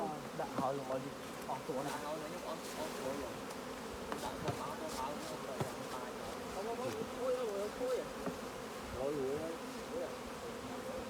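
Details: Dense humming of a honey bee colony while honey is harvested from the hive, continuous droning with bees whining past up close, and people speaking Khmer throughout.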